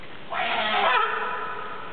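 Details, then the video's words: Captive California sea lion at Zoo Opole, Poland, giving a single loud, harsh, honking call with rich overtones, lasting about a second before sliding into a lower, fading drawn-out tone. "Uchatki kalifornijskie (California sea lion)"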